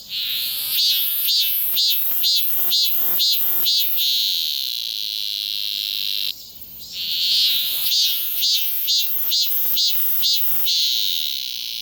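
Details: Cicada recorded on a Galaxy S24 Ultra phone: a loud, high, hissing buzz broken into rapid pulses about twice a second for four seconds, then a steady drone, a brief dip, and another run of pulsing bursts.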